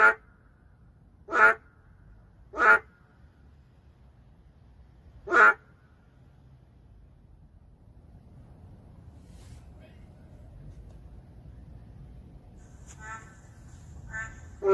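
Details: Narrow-mouthed frog, endangered, calling amid the city: three sharp, loud, quacking croaks at first, then several seconds of quiet low hum before softer and louder croaks return near the end.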